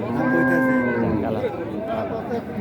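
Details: At a 2025 cattle market in Raniganj, Dinajpur, Bangladesh, cattle give a sustained level moo with stacked harmonics, bending slightly downward at its end, with market voices and chatter behind.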